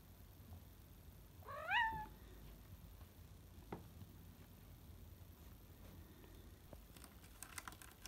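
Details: Salem, a pet cat out exploring the house in the late afternoon after his daytime nap, gives a single short upward-sweeping meow. Faint clicks and rustles follow in a quiet room.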